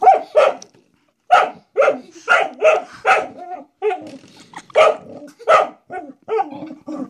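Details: Pet dog indoors barking at a door stop it seems to treat as a threat: sharp, loud barks in quick pairs and short runs, about a dozen over seven seconds, with brief pauses and some rougher, growly tails.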